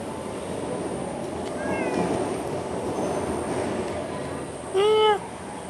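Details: Cat with rare dark violet fur roaming outdoors in Singapore; a faint, short meow midway, then a louder, clear harmonic meow near the end, over a steady background hiss.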